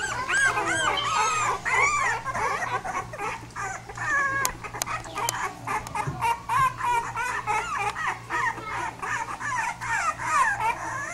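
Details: Several pit bull puppies whimpering together in a rapid, nearly continuous chorus of short high yips and wavering whines, with a few sharp clicks and knocks in the background.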